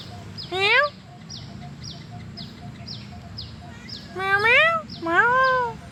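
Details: Outdoors, a friendly black-and-white stray "cow cat" makes three arched, rising-then-falling meows, one short and two longer, over regular high chirping in the background.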